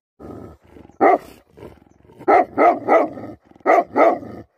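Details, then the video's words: Angry Tibetan Mastiff (Bhote Kukur) giving heavy, roaring barks. A low growl builds first, then hoarse barks come in quick pairs and triplets, each one loud and broad-toned. "Angry dogs barking effect sound ||Tibetan Mastiff || Bhote Kukur"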